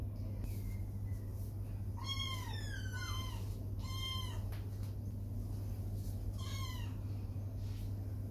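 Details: Dirty kittens upset at being bathed in a tub after playing in wet mud on the lawn; about five high, harmonic meows, several sliding downward, spaced over eight seconds above a steady low hum.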